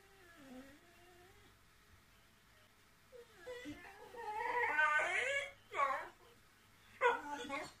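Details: Tilly, a whippet, always wanting the last word: a soft, wavering whine at first, then a long run of loud, warbling, up-and-down grumbling whines, followed by two short, sharp vocal bursts near the end.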